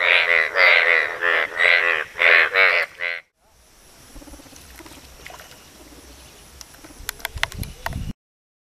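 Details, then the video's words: Asian bullfrogs calling to attract a mate, giving six or seven loud, throbbing, nasal croaks in steady rhythm over three seconds, followed by a low murmur and a few sharp clicks. "Asian Bullfrog's mating calls."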